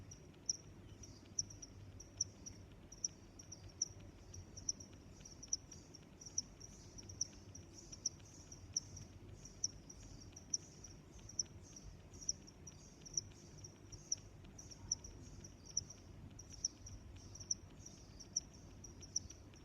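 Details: Steady cricket chirping in nature, crisp high chirps spaced under a second apart throughout, layered over a faint ongoing trill and soft low-frequency background hum.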